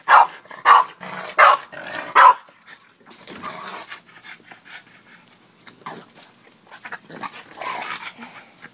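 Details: Boston Terrier Oreo's daily barking at a shovel: four quick, loud barks in the opening two seconds, followed by quieter snorts, growly huffs and movement noise for the rest.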